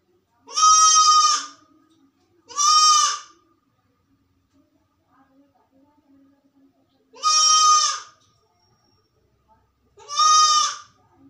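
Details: Sick goat left alone in a room, calling loudly: four strong, harsh bleats under a second long each, in two pairs, with faint soft rustling between.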